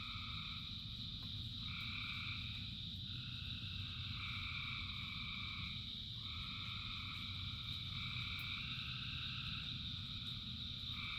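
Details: Many frogs calling together during rain, their overlapping trills rising and dropping out in waves every couple of seconds over a ceaseless high drone and heavy low patter of rain.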